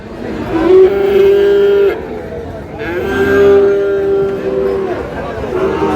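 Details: Sahiwal bull calf at a cattle market in Madaripur, Bangladesh, on 3 April: two drawn-out, steady lowing moos of about a second each, with a third rising at the end, over nearby voices and market bustle.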